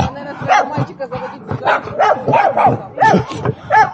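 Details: Dogs in a squabble, a small dog barking as AmStaff Jena pursues it; a run of short arched yapping barks roughly every half second over rougher growls, with human voices calling.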